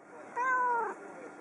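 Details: Pet house cat indoors, lonely after its owner briefly left for the kitchen, gives a single steady, drawn-out tonal meow lasting about half a second, slightly falling at the end, in a quiet room.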